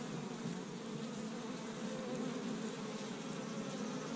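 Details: Many honey bees at an established Michigan hive on the first warm spring day, collecting tree-bud pollen; a continuous, even droning buzz with a slightly grainy texture holds steady throughout.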